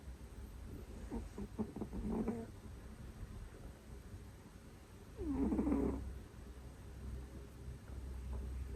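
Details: Two pet cats both snore very loudly, likened to sleep apnea; here rough, rattling snores come in two bursts several seconds apart, with quiet low breathing between them indoors.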